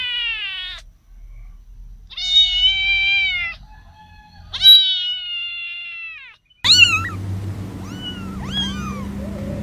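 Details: Kittens meowing: three long, high, level meows with steady harmonics in the first six seconds, then after a sudden cut, shorter arching meows rising and falling over a low background rumble.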